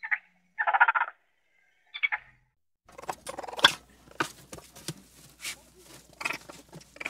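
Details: Raccoon giving short, harmonic chittering bursts in the first two seconds, then a run of rapid, irregular clicks and scratchy rustling that continues to the end.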